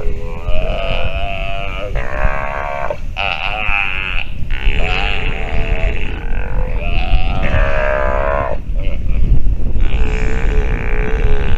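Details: Nursing sea lion pup producing a run of wavering, harmonic bleats, one after another with brief pauses, against constant low-pitched wind noise.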